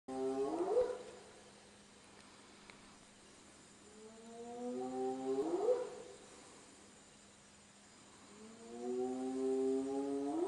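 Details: Spotted hyena (Crocuta crocuta) at night, calling just outside or in camp, gives long, rising whoops, each swooping upward and repeated every few seconds.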